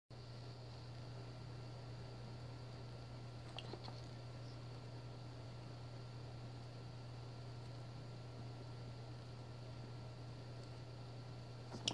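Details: Only a steady low electrical hum and faint room noise with a few soft clicks, no animal voice heard.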